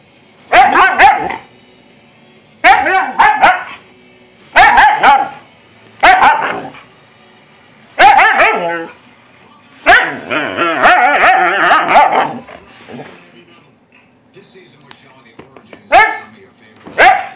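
A Siberian Husky gives short, wavering, whining yowls in bursts every second or two.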